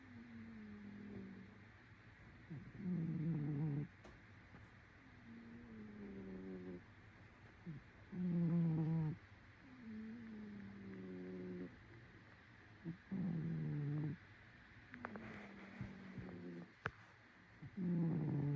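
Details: Sleeping cat snoring steadily, with low, droning, slightly whistling breaths roughly every two to three seconds. Some breaths are louder and rougher than others, with faint clicks in between.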